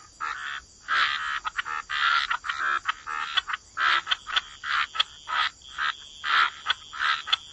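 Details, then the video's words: Chorus of frogs by the waterside in wetlands: short, bursting croaks in quick, uneven runs of about two per second, several callers overlapping, over a steady high insect-like hum. "Frog Lullaby: Relax to the Sound of Croaking Frogs"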